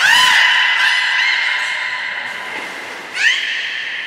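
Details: Beluga whistles recorded during training of Nana and Niko at Port of Nagoya Aquarium, October 2018: a rising, bright harmonic cry that levels into a long sustained tone, followed by a second upward-sweeping whistle.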